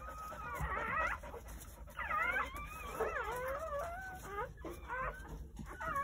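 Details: Several newborn Jindo puppies, part of a litter of nine born on New Year's Day at a rural home, giving wavering, high-pitched squeals and whimpers in overlapping bursts, some sliding upward, with short gaps between.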